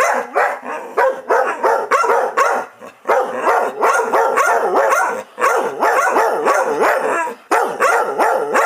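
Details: Two pet dogs, Chewy and Rosie, arguing back and forth like an old married couple: rapid, overlapping yips and whiny barks with rising-falling pitch, tumbling out several per second with brief pauses.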